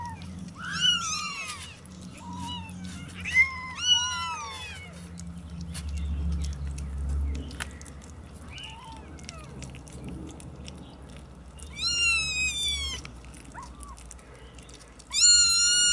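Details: 27-day-old kittens calling with repeated high-pitched meows, some overlapping in quick bursts, pauses between groups, and a low background hum.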